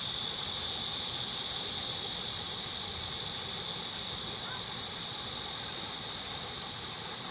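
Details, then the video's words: Steady shrill cicada drone, a continuous hissing buzz at a high pitch, fading very slightly toward the end, with no pauses. "매미 소리"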